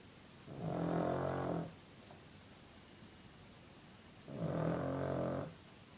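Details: Sleeping dog snoring indoors: two rasping, buzzy snores of about one second each, roughly three and a half seconds apart, with quiet breathing pauses between, in a small room.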